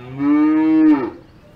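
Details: Cow on an Alpine farm letting out one steady, sustained low moo of about a second, rich in harmonics, fading quickly at the end with nothing else heard.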